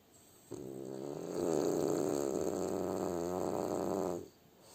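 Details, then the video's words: Sleeping French Bulldog, likely the pet bulldog Kuzya, gives one long, rough, fluttering snore lasting about three and a half seconds at steady loudness, with quiet breathing-level background before and after. "Как храпит французский бульдог"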